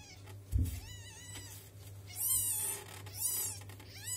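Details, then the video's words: Two-week-old domestic kittens meowing to ask for milk; three high, arching mews with rich harmonics, each under a second, over a steady low hum and a brief thump near the start. "Котенок говорит - мне молока"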